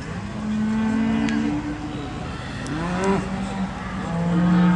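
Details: Charolais cattle at the agricultural show in South Inch Park, Perth, Perthshire, Scotland, give long, low, droning moos with a rising and falling tone, overlapping one another, amid crowd chatter and background noise.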